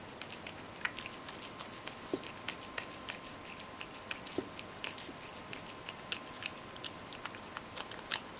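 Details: Mojio the Ragdoll eats softened dry kibble, crushed in a mill mixer with hot water poured over it. Dense, sharp chewing clicks fall in quick irregular bursts, with a faint steady tone underneath.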